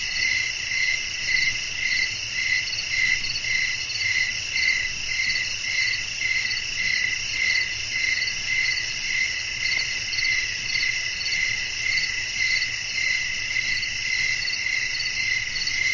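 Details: Long stretch of night cricket song: a constant shrill chorus repeating in even pulses nearly twice a second throughout, steady and unchanging, over a faint low background rumble.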